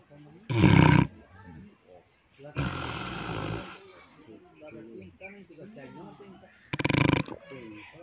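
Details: Pig snoring: three loud, rough, rasping breaths, each lasting about half a second to a second and spaced a couple of seconds apart, with quieter murmuring sounds between them.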